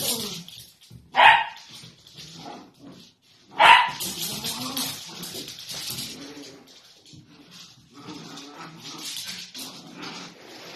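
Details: Playful miniature dachshund letting out two sharp, loud barks a couple of seconds apart, followed by softer whimpering and household clatter in a small room.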